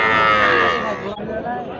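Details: A Sahiwal bull calf at a cattle market in Dinajpur district, 21 November 2025, gives a loud, richly harmonic bawl of about one second that trails off, followed by quieter market murmur.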